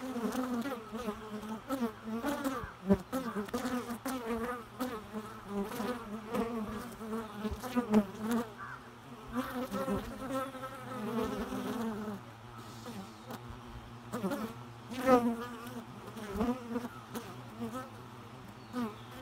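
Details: Bees buzzing continuously as they fly close, with a wavering low hum whose pitch rises and falls as each one passes, several overlapping, plus a few sharp clicks.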